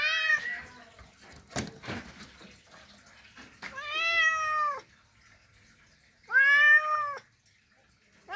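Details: Mating call from a male cat calling a female: three drawn-out, arched meows spaced a few seconds apart, with sharp clicks and knocks between the first and second.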